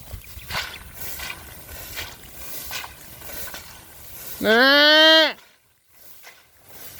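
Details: On a small goat farm, while a lost young kid feared struck by a cobra is searched for near a well, one loud sustained nasal goat bleat lasting about a second and dropping at the end, after rustling and faint movement.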